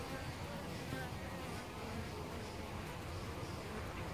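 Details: Honey bees (Apis mellifera) swarming at their nest in a tree hole at Costanera Sur Ecological Reserve, recorded close up; an unbroken, rough, low buzz of many insects, steady in loudness throughout.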